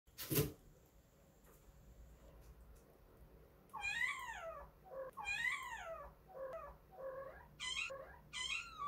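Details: Street kitten calling its mother, a stray cat named Kkandol: a string of high, arching meows, several in quick succession with rising-then-falling pitch, after a sharp knock at the start.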